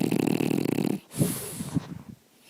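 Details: Sleeping dog snoring loudly in the middle of the day indoors: a run of rough, low, rattling pulsed breaths for about a second, then softer wheezy breathing that fades out.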